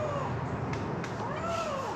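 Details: A captive Canada lynx at a big cat rescue sanctuary gives a drawn-out, wavering, mewing call with a slowly rising and falling tone lasting about two seconds, over a low background rumble.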